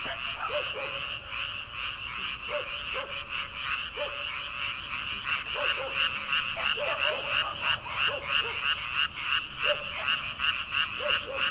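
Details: Frogs calling from rice paddies in early summer, at night before rice planting: dense chorus of rapid rasping croaks repeated about three times a second, with scattered lower separate calls rising through it.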